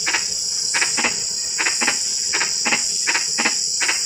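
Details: In drizzling rain, frogs produce short percussive tok notes, often doubled, at roughly half-second to one-second intervals, while insects keep up a continuous high whine.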